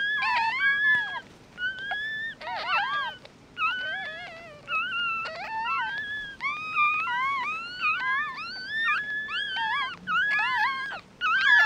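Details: Several newborn mixed-breed puppies, their eyes still closed, keep up a steady chorus of thin, wavering squeals that rise then dip, with nearly continuous calling for about twelve seconds.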